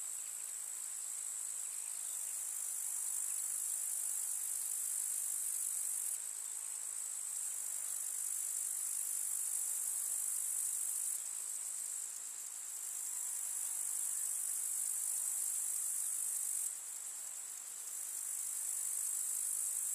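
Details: Countryside summer meadow with wildflowers, full of grasshoppers trilling in a thick, high, sizzling drone. The chorus wavers, briefly softening roughly every five seconds before rising again.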